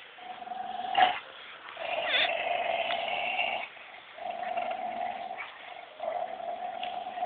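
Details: Labrador Collie cross dog growling while playing tug of war with a Belgian Shepherd Dog: steady, drawn-out, tonal growls lasting one to two seconds each, broken by brief pauses and a sharp thump.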